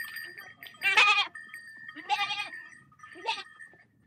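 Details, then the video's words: Large herd of sheep walking through water; three loud, harsh, quavering bleats about a second apart, each briefly rising and falling, with steady ringing bell tones sounding beneath and between them. "Large Sheep Herd Walking Through Water Sound Effect"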